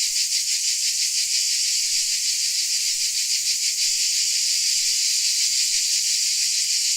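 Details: A Dalmatian cricket chorus: a steady, hissing, very high-pitched drone with gentle rhythmic pulsing roughly three beats a second throughout, no other animals or voices.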